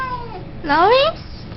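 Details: Siamese cat uttering a short, rising then wavering meow lasting under half a second, loud and harmonic, following the tail of an earlier falling call.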